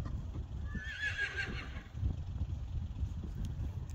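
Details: Friesian horses, among them the youngest of five, playing in an arena; one short high whinny rises and falls about a second in, over steady thudding hoofbeats and low rumbling noise.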